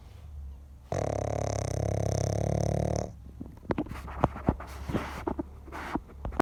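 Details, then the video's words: Snoring pug: a single loud, harsh rattling breath lasting about two seconds, low and buzzy throughout, followed by quieter snuffles and scattered sharp clicks and taps. "Snoring pug"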